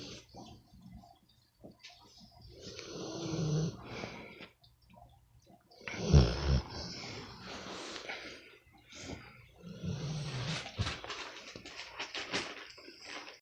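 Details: Sleeping American Bully, called a pit bull, snoring in a small room: irregular deep, rumbling snores and wheezy breaths, one especially loud gravelly snort in the middle, with quieter rasping breaths between.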